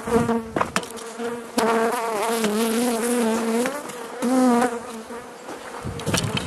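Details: Hive of Carniolan honey bees in southern Finland, 16 March 2017, at +3 C outdoors, opened for Mountain Camp feeding; a loud harmonic drone wavers up and down in pitch, broken by a few sharp knocks and clicks.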